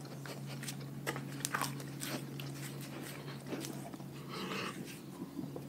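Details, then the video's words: Dogs from a pack eating their raw food diet indoors, with a rapid run of sharp, irregular crunches and wet chewing clicks, denser bursts near the start and end, over a steady low hum. "Dogs Eating Raw Food"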